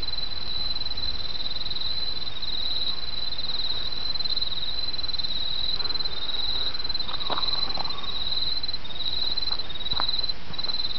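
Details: High, shimmering trill of autumn insects runs throughout above a gurgling stream, joined midway by a few short lower chirps and knocks.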